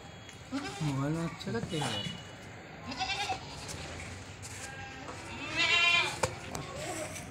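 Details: Goats at a farm in Bhadrak, with short quavering bleats early on and a louder nasal bleat near the end, mixed with nearby human speech.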